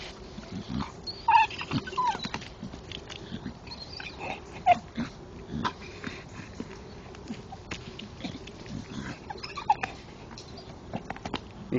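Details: A male Staffordshire Bull Terrier chews a tree stump and stick in the dark, giving short, whiny grunts and squeaks between crunching, snapping chewing noises.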